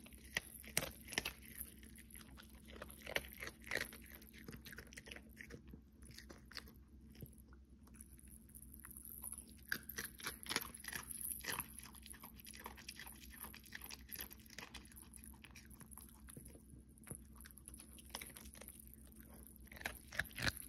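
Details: Cookie, a pet Pomeranian, munches food in December for an ASMR recording. A steady run of small crisp bites and crackly chews continues throughout, with occasional louder crunches in a quiet room.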